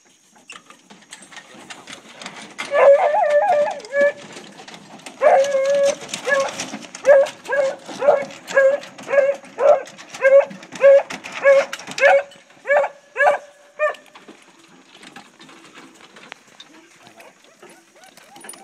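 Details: Hunting dogs running deer during a deer hunt, giving loud harmonic bays repeated roughly every second in a steady run of about a dozen calls, then fading to quiet with faint rustling at the end.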